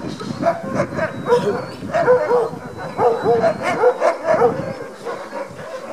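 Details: Sled dogs, Alaskan huskies, at a Denali National Park demo in Alaska, brought in on lifted front paws and eager for the harness; a dense run of excited barks and yips repeats roughly twice a second.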